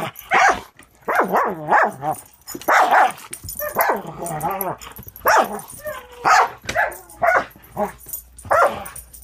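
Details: Rescue Border Collie mix pup Angel, six months old, at play with the dog Cisco: a run of rough, uneven barks and growls, roughly one per second, mixed with higher yips and whines.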